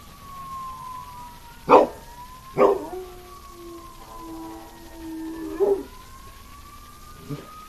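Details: Dog howling as a fire truck goes by, holding a long steady mid-pitched note between sharp bursts of yelps, while the rising and falling wail of the siren sweeps across the background.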